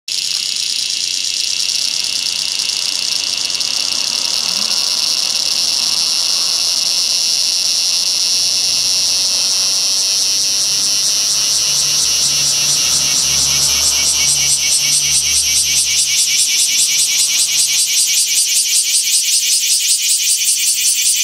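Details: Cicada in Fukuoka, Japan, giving a loud, continuous high shrill buzz that steadily fills the clip and, in the second half, breaks into a rapid pulsing throb.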